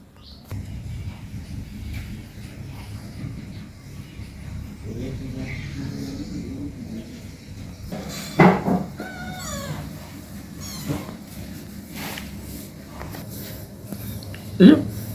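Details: Domestic kitten aged 18 days playing with its mother at home; a quavering, wobbling meow run appears midway, with a few sharp thumps and a low steady hum underneath.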